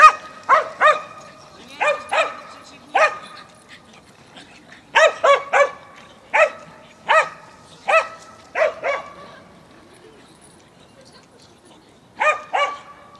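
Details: Barking dogs in Mazovia, 2021: sharp barks come in quick clusters of two to four, with short pauses between the bursts, over a quiet background.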